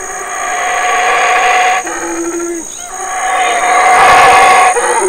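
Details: At Burrell Boom's Community Baboon Sanctuary in Belize, a big male black howler roars as his family, including two young sons, eats figs; a swelling rasping roar that breaks off and resumes louder, with a constant high whine behind.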